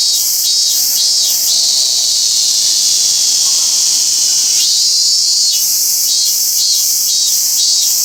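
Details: Robust cicada singing in Toyano-gata Park. Loud pulsed buzzing in even beats fades into a smooth sustained drone. A rising swell follows, and the strong rhythmic pulsing returns.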